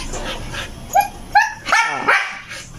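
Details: Siberian Husky, one of three pet huskies, vocalizing while playing in a morning routine: four short, sharp yips with rising pitch, spaced about half a second apart, over a low background murmur.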